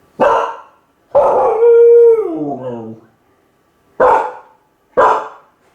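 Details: Kai Ken named Ichi, left home alone and lonely, calling from a high spot for the family to come back. A drawn-out tonal howl slides downward between sharp barks at the start and end.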